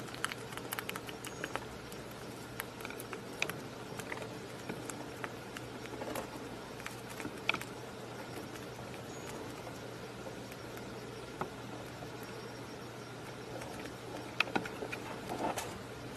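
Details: A bunny eating a raspberry, with quick soft clicks and wet smacking sounds in irregular bursts.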